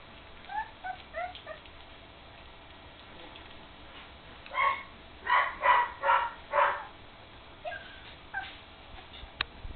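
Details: Three-week-old puppies at play together for the first time: soft rising whimpers at the start, then a run of five loud squeaky yips in close succession, and a few fainter whines afterwards.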